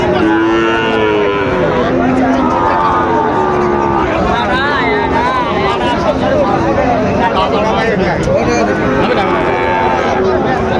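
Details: At Dinajpur's Raniganj market on 23 October 2025, Sahiwal bull calves up for sale give low, wavering moos in the opening seconds, then fainter lowing amid constant crowd chatter and haggling over prices.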